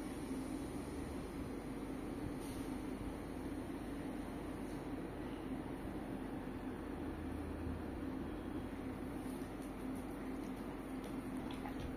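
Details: A steady low mechanical hum like a moving train or vehicle continues throughout, with no animal sound.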